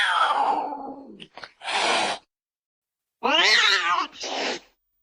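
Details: Cat calling: a falling, wavering cry with breathy, noisy bursts, then a short silence and a strained, quavering meow that breaks into a breathy tail.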